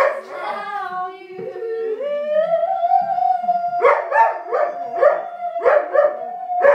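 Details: Albert, a pet Weimaraner, howls along to a tune indoors: a long rising, sliding wail that holds a steady pitch, then a run of short pulsed howls on the same note, with people's voices faintly in the background.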